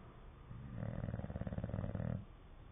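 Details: English Bulldog asleep and snoring: a single drawn-out, low, buzzing rattle of about 1.7 seconds with rapid pulsing, swelling then cutting off into soft room noise.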